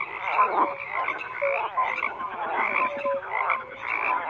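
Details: Frogs croak in a crowded chorus of grating, rattling pulses, with a few short tonal peeps cutting through the steady wall of sound.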